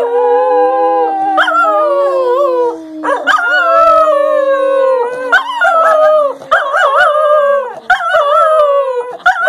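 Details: Two English Cocker Spaniels howling together in a duet: long, wavering, overlapping howls that slide up and down in pitch, with short breaks near three and six seconds before the voices rise again.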